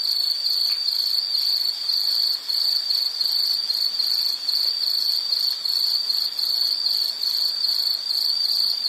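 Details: High, shrill insect chirps repeated in a fast steady rhythm, roughly two pulses each second, a calming nature sound for sleep or study; nothing else stands out beyond low background hiss.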